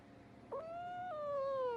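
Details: A single cat meow, clear and tonal. It starts with a brief catch, holds steady, then slides gradually lower over about a second and a half, over a faint background hum.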